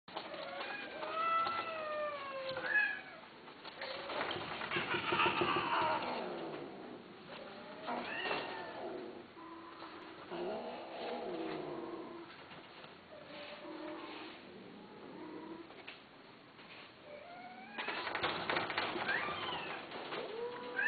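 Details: Himalayan and Persian cats offered for sale at Al Reem Oasis, giving repeated high, bending meows that rise and fall, several overlapping, with rustling and faint voices in between and a louder burst of mixed calls near the end.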